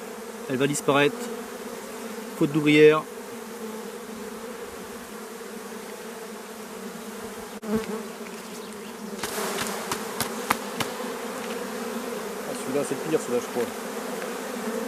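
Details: Honey bees of a drone-laying colony, frames shaken out about fifty metres from the apiary: a steady, low, droning hum with two constant tones, broken early by brief human voices and later by sharp clicks and knocks.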